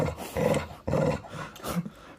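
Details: Chow Chow kept as a pet dog indoors, giving low, rough growling barks in two strong bursts about half a second apart, followed by a softer grumble, while its owner urges it to talk instead of barking.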